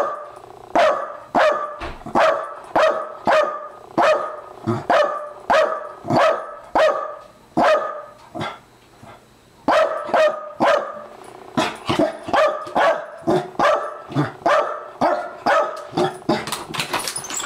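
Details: Maggie, an 11-year-old Welsh Corgi, greets her master home from work in excitement: loud, harmonic barks repeated about every half second in long runs, one brief pause near eight seconds, then barking resumes even faster.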